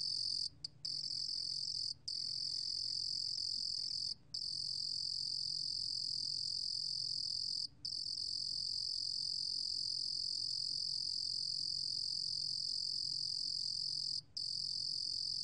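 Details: A 루루곰귀뚜라미 cricket gives a continuous, high, ringing trill, broken now and then by brief pauses; recorded in 2020.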